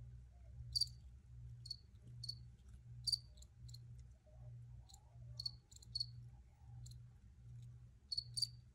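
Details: Crickets singing: crisp, high, clicky chirps, often paired or in quick clusters, sounding every half second to second, while a soft, low, rhythmic hum pulses underneath.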